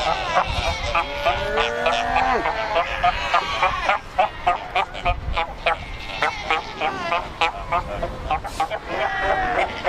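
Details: Cape Cross seal colony on the Skeleton Coast, more than 100,000 Cape fur seals; dense chorus of rapid, repeated bleating barks, roughly three a second, with drawn-out wavering calls beneath.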